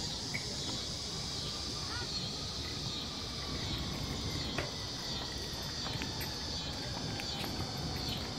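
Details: Noisy crickets: a continuous, high, shimmering trill runs throughout over a broad rushing background hiss, with scattered sharp clicks.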